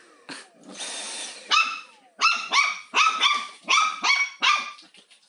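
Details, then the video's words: Pet dog indoors barking at a vacuum cleaner it finds interesting yet scary; a whirring machine noise early on, then a run of sharp, high barks in quick bursts of two or three, roughly every half second. "강아지와 청소기의 한판 승부"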